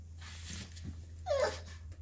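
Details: An 11-year-old male Pekingese gives a soft, high whimper that bends up and then falls away, over a low steady hum, crying as his owner leaves the house briefly.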